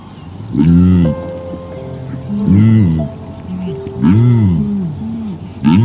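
A frog gives deep, arching croaks in short bursts about every one and a half seconds, with steady background music throughout.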